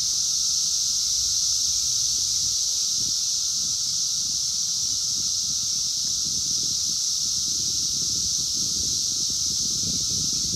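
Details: A phone captures 17-year Brood X periodical cicadas outdoors in 2021: an even, intense high buzzing chorus layered over a continuous lower whine, with bursts of low rustling throughout.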